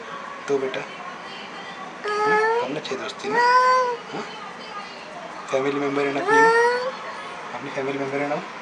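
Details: An angry black cat on first meeting a new cat gives long, wavering yowls in two bursts, partly overlapping, over a steady background hiss in a small room.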